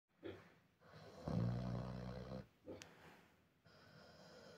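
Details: A Vietnamese pot-bellied pig, a young boar, snores with deep, rumbling breaths broken by short, low grunts.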